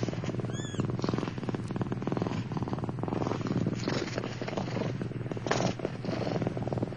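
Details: Seven Turkish Van kittens, born 4 November 2009, crowded in a narrow nest, purr steadily in a low, rumbling drone, with one brief high mew near the start.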